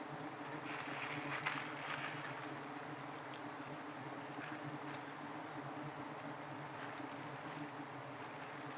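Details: Wild giant honey bee colony at a small forest nest being harvested for honey, giving a continuous low drone with an even humming tone throughout, over a soft rushing background.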